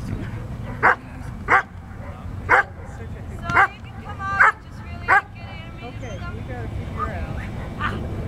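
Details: Standard Poodle, a male, during Schutzhund bite work training, barking in short sharp bursts, seven barks spaced roughly every second, followed by a faint whine, with steady low background rumble.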